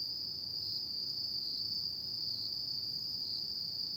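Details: Autumn night insects sound a steady piercing trill, level and continuous from start to end, against a soft murmur of low background noise.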